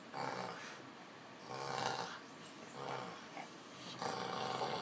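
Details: Fred, an Olde English Bulldogge puppy nearly five months old and over 40 pounds, wrestling with Ruby on a couch indoors; rough, snorting growls come in swelling bursts about every second, with breathy huffs between them.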